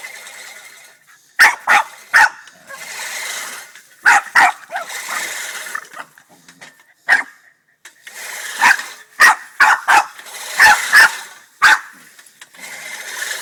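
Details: Boston Terrier barking furiously at a push lawnmower, many sharp barks in rapid bursts, some doubled, over intermittent whirring mower noise.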